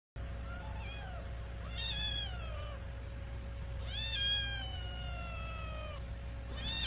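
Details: Kitten that eats a lot, calling loudly while being wiped after eating: a few high, drawn-out, falling meows spaced about two seconds apart over steady low background hum, with a steady faint tone throughout.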